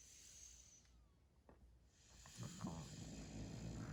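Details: Puppy asleep while being tickled: soft clicks at first, then low, throaty snuffling snores set in halfway through and continue in a rough, even rhythm to the end.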